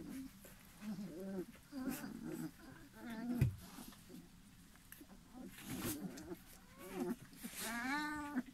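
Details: Airedale Terrier puppies at three weeks old, R litter of November 2018, give repeated whimpers and squeaky whines with wavering harmonic tones, overlapping one another, over soft rustling.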